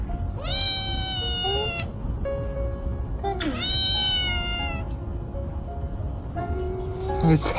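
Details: Young stray kitten, about a month old, discovered under a car and meowing without pause, apparently seeking its mother; three plaintive, wavering meows spaced roughly three seconds apart, backed by soft music and steady low noise.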